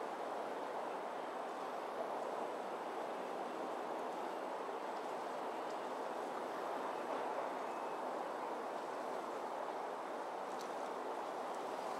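Only a steady broadband rush like distant traffic or wind is heard, with no clear animal calls.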